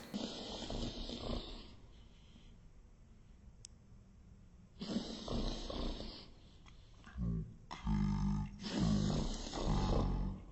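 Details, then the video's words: A beagle-pug mix dog has a reverse sneeze, drawing air in through his nose in reverse with repeated harsh snorting inhalations as a man explains. It is dramatic but usually not serious, likely triggered by an irritant. "he's making that snorting noise while he's inhaling this is called a reverse sneeze it looks really dramatic"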